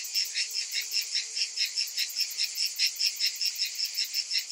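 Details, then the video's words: Cicadas calling through a hot summer afternoon: a shrill, pulsing buzz repeating in rapid, even throbs about two and a half times per second, with a continuous high hiss and no other noise. "Cicadas in Summer"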